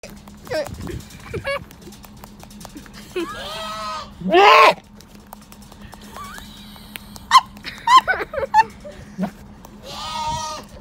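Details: A farm goat at snack time gives several wavering, harmonic bleats, one loud and strained in the middle and another near the end, with people talking and a steady low hum throughout.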